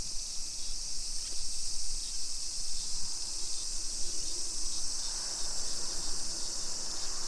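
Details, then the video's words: Midsummer cicada chorus along residential streets of Nisshin, Aichi Prefecture, Japan, at 2 PM on 28 July 2021: an even, sizzling high drone that never pauses, partly masked by deep handling and traffic rumble. "Summer Cicadas Sounds"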